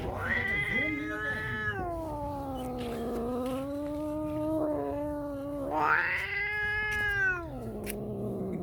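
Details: Two angry domestic cats howling at each other: long, drawn-out wailing tones that waver up and down, swelling into a louder rising yowl near the end before sinking to a lower moan.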